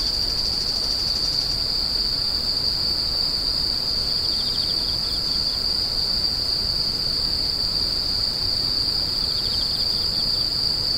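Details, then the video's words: Steady high insect screeching holds a single piercing tone throughout, while a second quieter caller adds short pulsed bursts now and then over a low background hiss. "The sound of insects crying"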